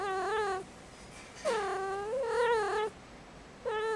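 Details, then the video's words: Five-month-old female indoor kitten in heat on Christmas Eve, giving long, loud, harmonic yowls that rise and fall in pitch, three drawn-out cries with quiet gaps between, in a small room. "Five Month Old Kitten In Heat"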